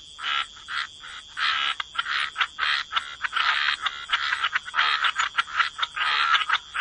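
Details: Croaking frogs crowd together in a wetland chorus, with harsh nasal calls overlapping in rapid, irregular clusters and a steady shrill background tone throughout.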